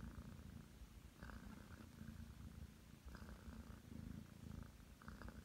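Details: A young Ragdoll cat named Aki, nine months old, purrs as she kneads before settling on the bed. The rumbling purr is rhythmic and close, with soft rustles every second or so.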